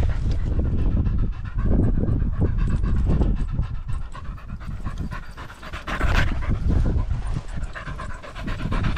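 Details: Rapid, rough panting from a Border Terrier out with a pack of six small dogs, among them Alfie, Juno and Otis, on a sunny 16°C walk on 13 September 2022, filmed on a GoPro Hero 10 Black; quick breathy pulses with footsteps and rustling.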